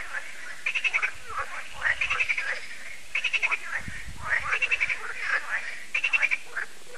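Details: Evening frog concert at Lac de Sabatte in France, held every year: a crowd of frogs croaks in quick, rattling bursts, groups of pulses repeating roughly every second with callers overlapping.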